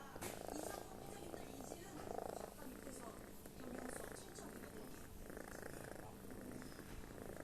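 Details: Cat snoring as if tired after a hard day's work, low rough rattling breaths in slow bursts roughly every one and a half seconds, steady hum and faint background noise.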